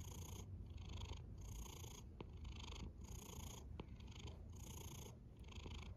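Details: Domestic cat snoring, a low rumbling drone with breathy noise swelling and fading in a steady cycle of roughly one breath per second, plus a few faint clicks.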